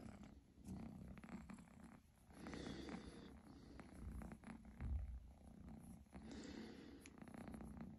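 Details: Kitten kept as a pet, purring close up: a low, even rumbling drone rising and falling with its breathing, with occasional soft bumps and handling noise.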